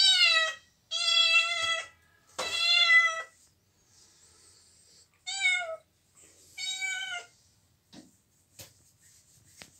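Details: Domestic cat meowing in quick bursts: three meows close together, then a pause and two shorter, higher ones, ending in faint clicks and rustling indoors.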